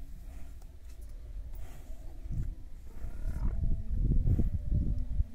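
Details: Murrah buffalo bull and cow from Rajasthan during a mating attempt; a deep, drawn-out bellow with a moaning tone rises midway, set over steady low rumbling, thuds and scuffling movement.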